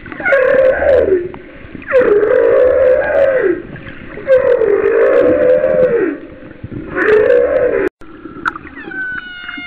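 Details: Recorded roughly a mile off Kauai's coast in 2009, humpback whale song with four repeated arched moans, each sliding up then down over about a second and a half, spaced about two seconds apart, followed by higher thin whistled tones.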